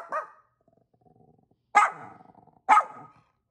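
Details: Barking from Angel, a pet dog in Vancouver, BC, Canada, replying to barking neighbour dogs; one softer bark, a faint rattling pause, then two loud sharp barks about a second apart.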